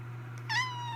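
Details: A cat named Jojo gives a single short meow, rising quickly then settling into a steady, slightly falling tone, over a constant low electrical hum indoors.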